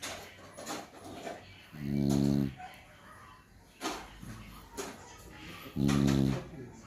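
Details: Sleeping Beagle giving low, rumbling snores, one strong snore near the start and another about four seconds later, with faint softer breaths between them.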